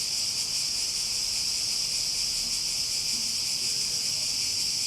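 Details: Continuous sizzling drone of cicadas, a bright high hiss holding level throughout with faint low rumbles underneath.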